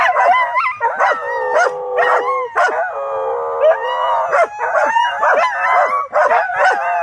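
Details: Two dogs, Cai and Apollo, howl while companion Flyn acts crazy; long wavering howls interwoven, punctuated by frequent short barks and yips, one steady drawn-out tone in the middle.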